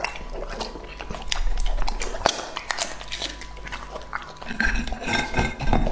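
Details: Lucky, a two-and-a-half-year-old English-type Labrador Retriever, eats indoors in an immersive ASMR meal. Sharp crunches and wet bites come in irregular quick bursts, with low rumbling handling noise in the background.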